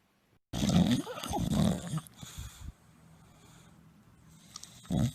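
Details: Tired bulldog napping, snoring loudly: rough, rasping breaths with a low rumble, two or three close together in the first two seconds, then quiet, then one more short snore near the end.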